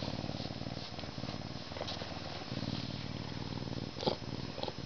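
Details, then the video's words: Continuous low rumbling purr from a captive Canada lynx, pulsing steadily with breath-by-breath swells and a short sharp click-like sound near the end. "Luchs schnurrrt und miaut"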